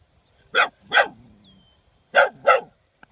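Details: An 11-week-old German Shorthaired Pointer puppy barking at a turtle found on the side of the road: two pairs of sharp, mid-pitched barks with a brief low whine between them.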